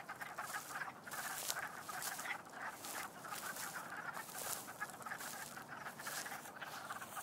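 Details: Many frogs call at once at Doyle Conservation Center, their short, sharp, bright chirps overlapping into a continuous, throbbing, pulsing chorus with no pause.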